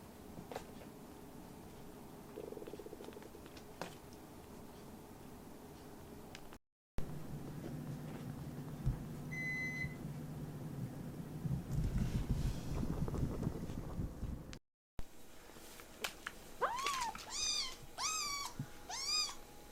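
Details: Rescued baby kittens, fostered from a volunteer group while learning to live as house cats, give a run of five short, arched, high mews with rich overtones near the end, after a long stretch of quiet indoor room noise and soft bumps.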